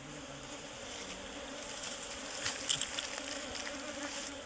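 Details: Bees swarming at a colony built inside a tree trunk as the nest is cut out, giving a continuous, even buzzing drone with a few brief brighter flickers of sound near the middle.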